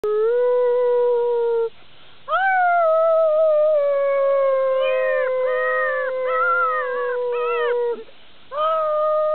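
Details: Solid black German Shepherd puppies, five and a half weeks old, howling while romping in October 2009: long, slightly falling tonal howls with rich harmonics, overlapping voices, a brief pause, then wavering higher notes.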